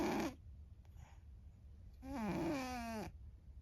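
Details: Anne, a pet cat who has always snored loudly, asleep and snoring: a brief rasp, then a long, loud, droning snore that slides slowly downward in pitch, in a small indoor room.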